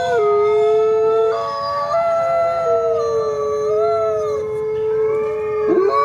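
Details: Several coyotes howl at once, stacked drawn-out tones rising and falling in slow waves, with a short cracked yelp near the end over steady background hiss.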